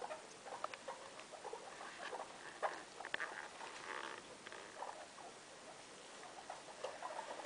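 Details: Guinea pig mother Loeki with her three young indoors in a room; busy patter of short squeaky chirps and clicks in quick irregular bursts, faint and mixed with rustling.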